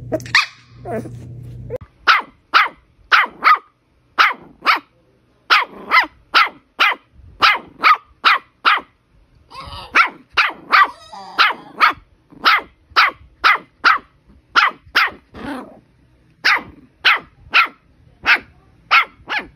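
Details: Puppy barking in a steady, fast series of sharp yaps, roughly two each second for nearly twenty seconds, with a short pause and a rustling, scraping noise midway.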